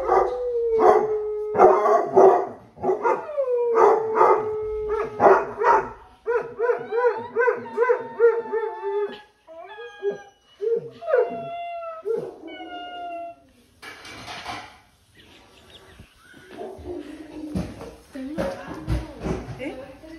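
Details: A run of basset hound howls on a weekend: rhythmic, pulsing bays repeated about twice a second, then short rising yelps, a brief noisy gap, and rougher, lower wavering howls to finish.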